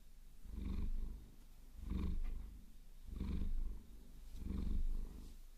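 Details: Maine Coon cat Vasilisa enjoying a fingernail massage, steady low purr in four clear swells about every 1.3 seconds, each inhale and exhale rumbling distinctly, faint scratching in the background.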